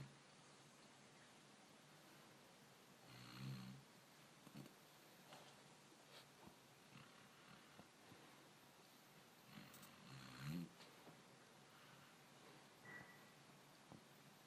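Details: A black dog snoring; two soft, low, rasping breaths about seven seconds apart, faint against a steady background hiss in a quiet setting.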